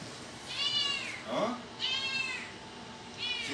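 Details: Kitten meowing at close range indoors: three high, thin, arching meows about a second apart, each rising then falling. A woman's voice cuts in briefly between the first two.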